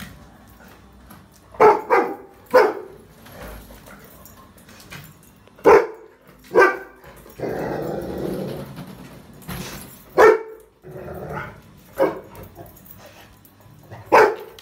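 A Rottweiler gives deep, single barks spaced a few seconds apart.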